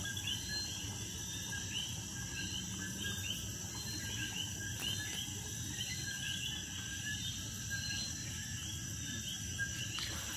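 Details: Common coquis calling at night near a patio in Puerto Rico, heard all around while hidden in crevices and bromeliads; a dense chorus of short, repeated, rising chirped notes from many frogs over a steady high insect-like hum.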